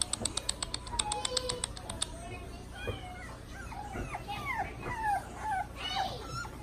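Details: French Bulldog puppies, several young dogs indoors, giving high thin whimpers and yips that slide up and down, overlapping one another, after a quick run of short clicking taps at the start.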